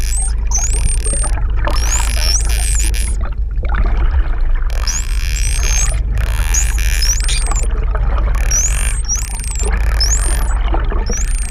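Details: A friendly mother and calf pair of Hawaiian false killer whales off Oahu give clear, high, looping whistles in bursts every second or so, recorded up close underwater over a constant deep rumble and hiss.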